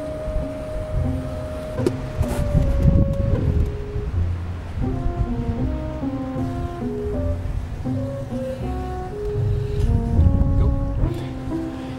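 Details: Steady instrumental music with stepwise melodic notes over a low droning background.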